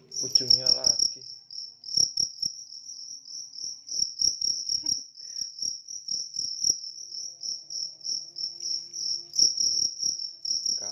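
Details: High, steady pulsed chirping from a large cricket, bursts running close together, with a short voice at the start and scattered taps and clicks behind.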